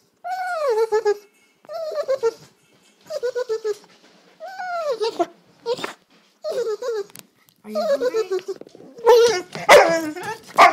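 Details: Sisko, a dog, makes funny noises at dinner time: repeated arching, howl-like whines that rise then fall, about one each second, ending in a louder, rougher burst with sharp clicks or barks near the end.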